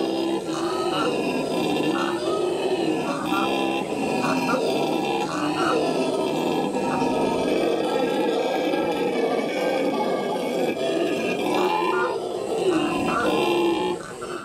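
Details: Howler monkeys howling at the L.A. Zoo in May 2014: a dense, rough, roaring chorus that carries on without a break through the whole stretch, layered droning tones rising and falling together.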